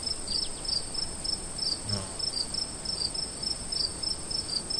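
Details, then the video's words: Crickets chirping in nighttime woods at a campsite, rhythmic high pulses over a steady trill, with one brief low thump partway through. "Relaxing sounds of Crickets In the woods"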